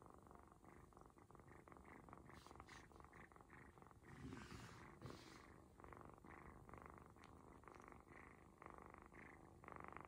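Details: Ginger kitten purring contentedly during a belly massage from its new owners, almost asleep; steady, rapid pulsing rumble throughout, with a brief rustle of handling midway.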